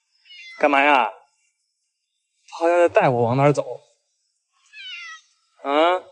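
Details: Domestic cat Batiao, angry after being shut outside because a neighbour brought an injured cat and infection was feared; four harmonic meows, the first falling in pitch, the third short and faint, set between pauses in a small indoor space.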